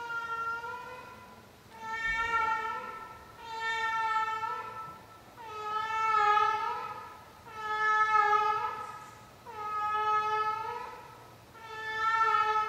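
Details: Sixteen-year-old cat performing her nightly routine, a steady series of six long, drawn-out yowling meows spaced about two seconds apart, each swelling then fading, with a brief bump or knock early on.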